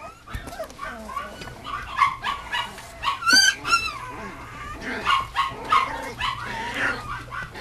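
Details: Mame Shiba Inu puppy whimpering in soft, wavering whines, with one louder rising yelp near the middle over a faint background hum.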